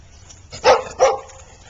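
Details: Two quick, sharp barks during play between a golden retriever and a husky, new friends at Oxford Pet Resort daycare.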